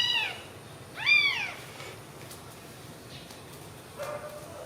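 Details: Newborn baby kittens sleeping together after feeding on milk; two high, arched mews in quick succession open the moment, each rising then falling with bright overtones, followed by quiet and one faint, lower drawn-out call near the end.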